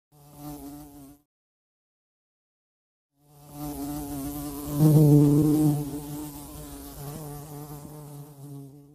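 A bee gives a loud, steady, low droning buzz that breaks off briefly before resuming.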